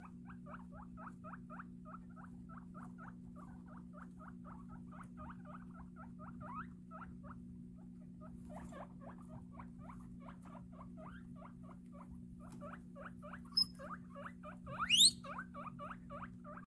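A guinea pig utters rapid strings of short squeaky notes over a steady low hum.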